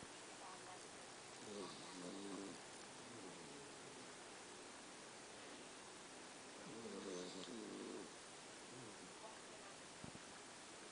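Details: A sleeping puppy snores twice, each a brief nasal, wavering rasp several seconds apart, with quiet breathing between and a faint tap near the end; steady hiss underneath.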